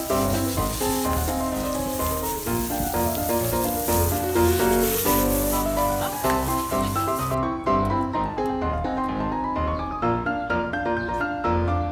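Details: Only background music with a steady beat and sliding melodic lines is heard; no animal sounds.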